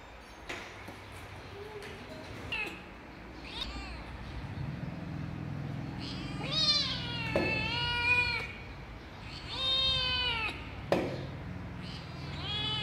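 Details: Kitten meowing in a series of short arched cries, several overlapping, over a steady low background hum and occasional clicks.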